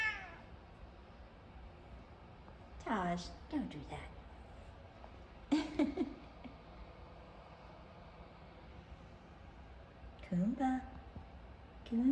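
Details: Pair of F2 Savannah cats meowing for attention: four short, fainter bursts that drop sharply in pitch, spaced several seconds apart over a steady background hiss, with a person's voice cooing to them.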